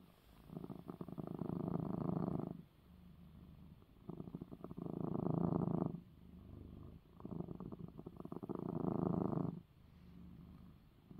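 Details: Purring from Coco, a male cat, just after his eye medicine; a steady low vibrating rumble alternates between loud two-to-three-second stretches and softer quieter intervals, roughly three full cycles, with no other sounds.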